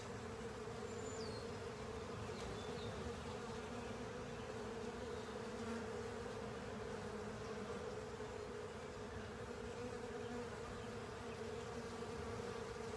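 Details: Crowd of honey bees and pals clearing honey from a filter, a constant droning buzz with a steady mid hum tone, a few faint high chirps or squeaks early on.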